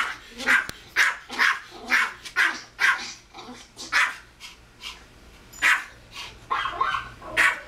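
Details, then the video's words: A Pomeranian barking at a video of a dog on TV gives a run of sharp, high yapping barks in quick, uneven bursts. "Pomeranian barking at dog on tv"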